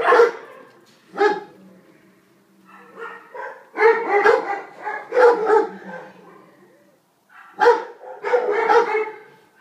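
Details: A stray female Alsatian (German Shepherd) pup, roughly five months old, found in the Weymouth area and awaiting a home, barks in separate bursts of two to four sharp yelps with quiet pauses between them and a faint low hum underneath.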